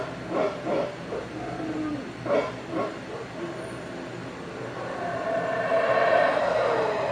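Howler monkeys give deep, guttural bursts of roaring that swell into a long, rumbling drawn-out howl.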